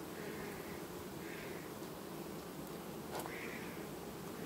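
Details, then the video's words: Steady low droning of a honey bee colony quietly superseding its queen in August 2019, overlaid by three faint, soft higher tones lasting about half a second each and a sharp click near the third second. "Matca schimb linistit 2019, familie ce asi schimba matca , albinele in august"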